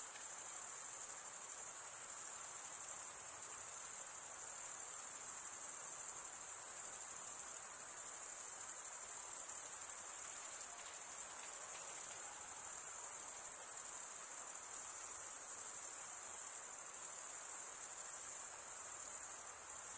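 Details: Crickets keep up a long, steady, piercing trill at one high pitch. It wavers only slightly in loudness over the full length, with no other sounds besides faint background hiss.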